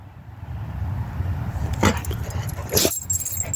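A Rottweiler gives two short, sharp barks on command, demanding something it wants.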